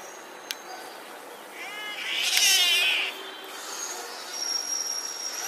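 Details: Domestic cats fight in a road, with a harsh, wavering fighting yowl that swells and then fades.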